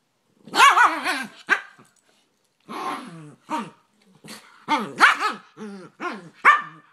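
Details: Two dogs play fighting, a Rat Terrier against an American Staffordshire Terrier/Pit Bull mix: bursts of harsh, warbling growls and snarls with yelping barks, in uneven clusters separated by short pauses.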